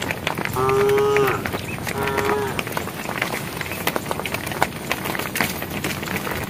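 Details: Cows of a herd walking along a project road, one calling to the herd with two drawn-out, even-pitched harmonic moos, the second shorter, over scuffing, rustling and background rural noise.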